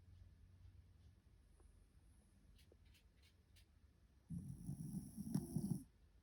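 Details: Drowsy white Shiba Inu asleep, giving one low, gravelly snore of about a second and a half after a stretch of quiet room hum and faint ticking.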